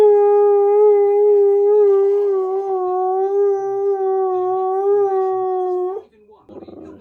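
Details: A male Siberian husky sings, holding one long, steady howl, slightly wavering, for about six seconds before breaking off.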